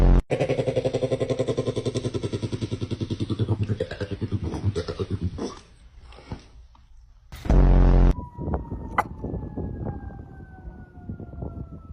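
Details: A rhythmic engine-like chugging, a sharp loud burst, then a passing vehicle's falling whine; no animal is heard.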